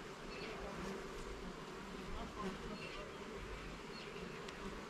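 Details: Continuous buzzing of a honey bee colony while its hive is opened and inspected in a garden, a thick even hum with slight swells and a few faint high chirps in the background.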